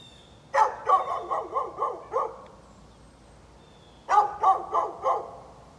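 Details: A neighbour's dog barking on 13 November 2020: two bursts of sharp, rapid barks, about five in the first run and four in the second, separated by a quiet pause, with a faint steady hum in the background.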